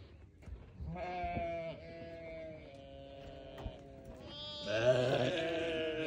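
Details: A newborn lamb's drawn-out, steady bleat lasting nearly three seconds, followed by a louder, harsher second bleat near the end, over faint low background noise.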